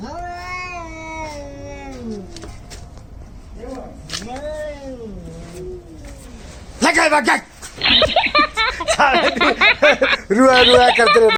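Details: Angry cats in a fight, India: long wavering yowls with stacked tones that slide downward and rise again, then a burst of loud, harsh screeching and spitting cries that keep coming back in rough bursts.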